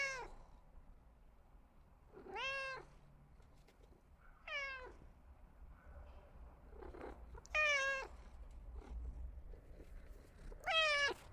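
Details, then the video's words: Cats utter a series of rising, wavering meows spaced a few seconds apart, some longer and strained, with a few faint softer calls and low room hum between them. "Cute cats meow meow meow"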